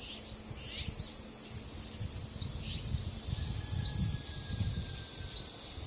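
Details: A steady high cicada whine holds at the Deoksan village dangsan grove, with low wind buffeting throughout and a few faint bird chirps.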